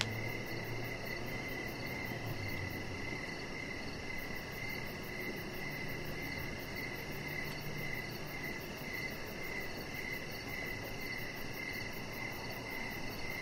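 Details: Chirping crickets on an evening deck, a steady shrill pulsing that barely pauses, with a fainter higher chorus layered above and a low hum briefly swelling early on.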